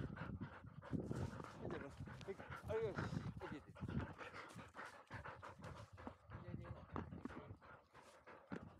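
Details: Labrador Retriever puppy, field type, 439 days old, breathing hard after sprinting uphill: fast raspy pants in irregular bursts, with a human voice speaking briefly near the middle.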